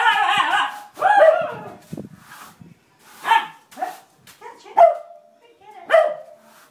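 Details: Thor, a Siberian Husky, reacts to a broom on his first encounter with it: a long wavering yowl opens, followed by shorter sharp barks roughly once a second, with rustling and faint voices between.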